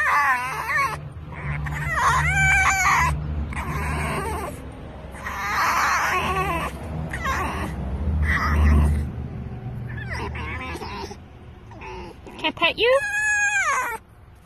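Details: Rescued red fox squealing with excitement while being petted: repeated high, harmonic squeals and warbling whines in bursts across the clip, with low rumbling handling noise underneath and possible voices mixed in.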